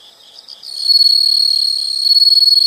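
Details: Insect calling in a relaxing nature recording: soft chirps swell into a loud, continuous high-pitched trill with a thin upper whistle-like tone, pulsing rapidly toward the end.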